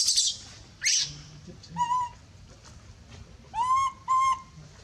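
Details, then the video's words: Monkey screaming loudly for help: two harsh, noisy screeches open, then several clear, slightly rising whistled cries with bright overtones, spaced irregularly over about five seconds. "big scream so loud calling help"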